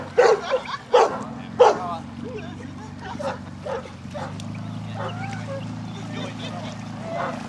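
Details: Newfoundland dog at a section C water test at Grangewater Tests: three loud, sharp barks in the first two seconds, followed by quieter talking and a steady low hum in the background.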